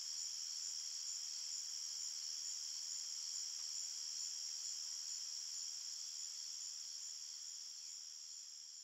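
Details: Crickets chirping through the night in a forest, a constant piercing high trill with stacked bands that slowly fades in the last seconds.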